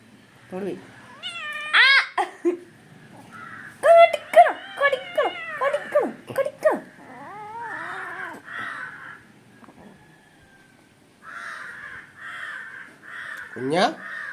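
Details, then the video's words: Angry, playful kitten calling indoors: harmonic, wavering meow-like cries and drawn-out rising wails, several in quick irregular bursts, with a person talking to it and brief music. "Angry Naughty kitty / കുഞ്ഞന്റെ ദേഷ്യം"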